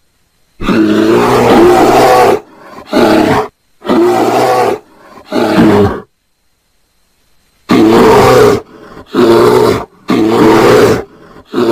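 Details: A bear gives deep, rasping roars in bursts of one to two seconds, repeated with short pauses, described as mating calls.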